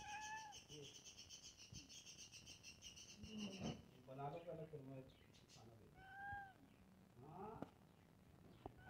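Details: Domestic cat, one of two, with brief steady meows at the start and near the end, separated by low rumbling voiced sounds, with a high thin background tone during the first few seconds.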